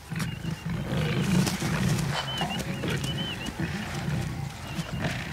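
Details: Wild lions feeding on a warthog kill in Kenya's Nakuru National Park; dense deep growling and snarling for several seconds, high bird chirps overlaid in the background.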